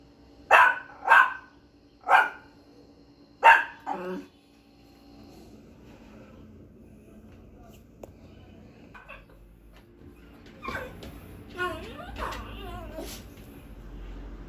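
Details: Pinscher barking loudly and fiercely: four sharp, harsh barks in quick succession over the first four seconds, then a quieter stretch with a few softer yelps and short wavering whines near the end.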